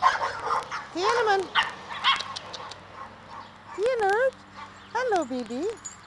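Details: Pekingese puppies playing in a front yard: a person talks to them softly, then high, wavering whining yelps rise and fall in short bursts around the middle and end, with one yelp doubled.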